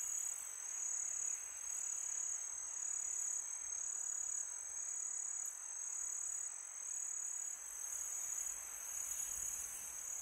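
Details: Night chorus of crickets on a calm summer night: a continuous shrill ringing trill, high and unbroken, swelling slightly in places over a faint windy background.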